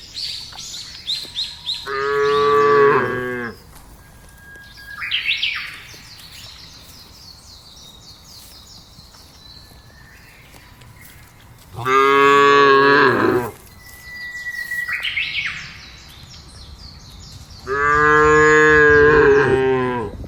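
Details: Cattle calling in a field, three strong drawn-out moos spaced several seconds apart, rich in harmonics, while small birds chirp and whistle throughout.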